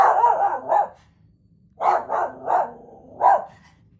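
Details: Barking from the dog BMO: a run of loud, sharp barks, a one-second pause, then four more barks in a fairly quick sequence.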